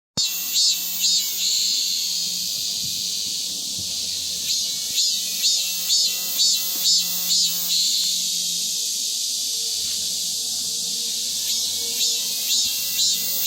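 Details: Cicada singing vigorously after the monsoon rains: a steady high, hissing buzz with loud pulsed bursts repeating about twice a second in runs, fading and returning several times.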